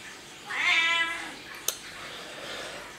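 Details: House cat utters a short rich meow with many harmonics, followed by a sharp click and then quiet room noise for the rest of the stretch.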